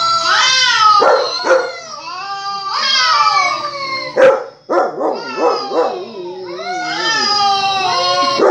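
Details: Dog responding to played barking with a run of wavering howls broken by short, sharp yips and arched whimpers, then a final sustained high howl.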